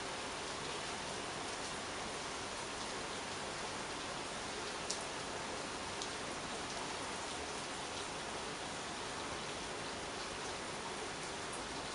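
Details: Steady heavy rain hisses throughout, broken only by a couple of sharp clicks, with no animal voices.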